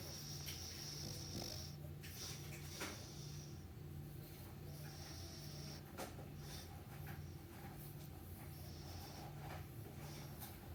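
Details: A dog named Meatloaf snoring through its morning sleep: low, rumbling breaths that alternate between two deep tones in a steady, quick rhythm, with faint high hissy streaks above.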